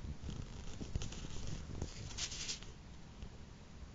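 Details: Two-month-old blue Somali kitten named Chouchou purring indoors: a soft, steady, low rumble running throughout, with light rustling and handling noises on top.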